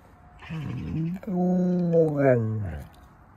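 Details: Alaskan Malamute named Bamsı "speaking": a short, wavering opening sound, then a drawn-out, moaning woo-like voice that holds steady, rises briefly and slides downward, lasting about one and a half seconds.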